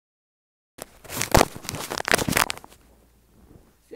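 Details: After a moment of silence, crackling, crumpling and tearing noises fill a small indoor room before fading to quiet, with no animal voice.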